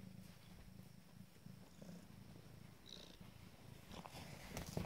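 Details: Abyssinian mother cat purring while sitting up to nurse her first litter of five-day-old kittens: a low, continuous, rhythmic rumble pulsing several times a second, with faint squeaks near the end.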